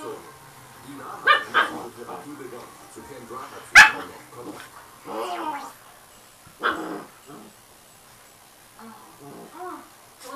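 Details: Austrian so-called fighting dog, a father playing with his pups hanging on his neck while the mother lolls nearby: scattered short barks and growly yips in irregular bursts, one sharp loud yelp, with people talking in the room.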